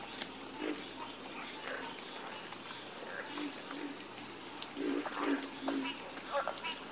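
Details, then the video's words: Frogs croaking together in a calm chorus, with low, gruff croaks arriving in quick uneven bursts toward the end. Scattered clicks and a continuous shrill insect hum run underneath. "the Calming Sound Of Harmonious Frog Croaking"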